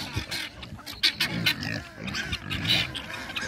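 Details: Several pigs, including a young pure Duroc, grunt and snuffle in short, rough bursts, a few a second, as they come crowding in for breakfast on a winter morning; a man's cheerful voice talks over them.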